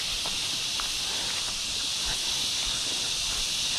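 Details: Crickets along a single-track forest trail at the start of a hike toward Patal Falls, a seasonal waterfall among trees and mountains; a steady, dense high-pitched shimmering chorus runs throughout with faint footsteps beneath.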